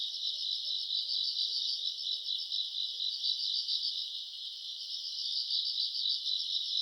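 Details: Grass insects calling on a summer night, recorded in August: a dense, high-pitched trilling chorus of many overlapping callers, steady and shimmering with a fast pulsing beat throughout, and no other clear sounds.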